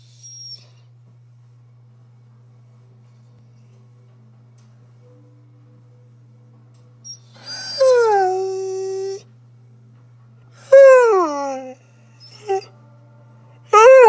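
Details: Sky the husky, a chatty pet dog, talking at home: a drawn-out howl that slides down in pitch and then levels, followed after a pause by a shorter falling yowl, a brief yip and a final quick call, over steady electrical hum.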